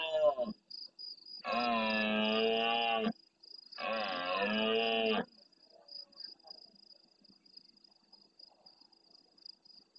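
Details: Red deer stag, a big male, bellowing at the start of the night in the El Rocío marshes of Doñana, Andalusia, Spain, replying to distant rivals; two loud, harmonic roars of about one and a half seconds each, then faint far calls and a continuous high insect trill.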